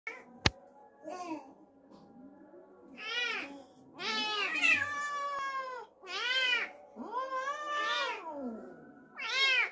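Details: Domestic cat reacting after an unfamiliar kitten was brought home, giving long drawn-out wailing meows with rich harmonics, several calls rising then falling, separated by short pauses; a sharp click near the start and faint steady tones in the background.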